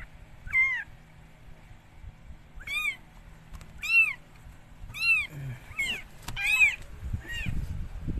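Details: Rescued stray cat Mikey giving birth to four kittens: about seven clear, high mewing calls, each rising then falling, spaced roughly a second apart in a quiet room, with brief soft rustling near the end.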